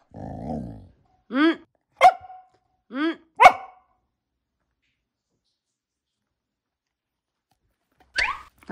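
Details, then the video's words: Pet dog talking back to its owner over food early in the morning, its voice changing with each retort: a low growly grumble, then three short arched whine-like yelps and a sharp yip after a long pause. "말대꾸 따박따박 하는 강아지"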